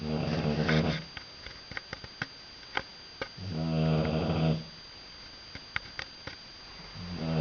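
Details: British Bulldog asleep indoors, snoring loudly: long rough harmonic-rich snores of about a second each, separated by quiet pauses with small clicks, two full snores and the start of a third.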